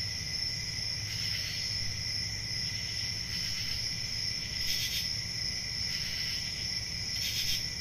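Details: Crickets on a summer night: a steady, shrill, high trilling chorus of several overlapping tones, with brighter pulsed bursts every one to two seconds over a low background rumble.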